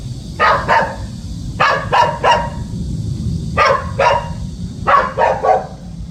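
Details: Puppy guarding the house, barking in short paired bursts, two or three sharp barks per group with pauses of about a second, over a steady low background hum.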